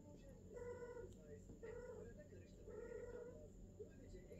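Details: Golden British longhair and silver British shorthair cats at a female's first mating: three loud, rasping, harmonic meows about a second apart, then a brief chirp, over steady low hum.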